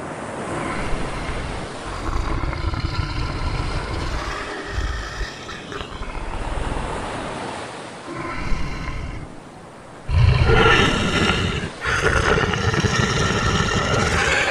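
A bear gives deep, rumbling roars in several harsh, growling bursts.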